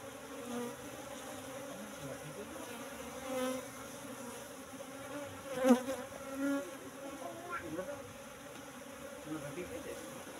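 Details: Buzzing of Asian honey bees (Apis cerana) at a hive box during honey harvest, the colony moved from the forest roughly three months before; steady drone with louder swells as single bees pass close, around the sixth second.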